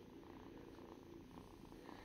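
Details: A domestic cat purring, filmed in a cat nursery in 2021: a steady low rumbling purr with soft regular pulsing, continuous for the whole stretch, with faint room noise behind.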